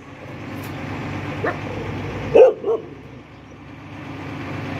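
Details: An angry red Chow Chow gives a few short, deep barks over a steady low background rumble.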